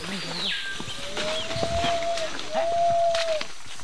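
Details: A group of monkeys in the Amazon rainforest answers hunters' imitated call from less than about 500 metres away. Long, drawn-out whistle-like tones hold steady, with an earlier sweep gliding down from high to middle pitch. Faint outdoor background.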